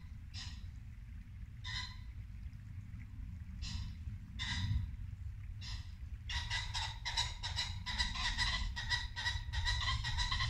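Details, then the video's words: Muntjac deer in Norfolk woodland at dusk, late winter: five sharp barks spaced about a second apart, then a rapid run of dense, chattering calls, likely pheasants and birdsong, over the loud rush of a brook. "Barking muntjac deer"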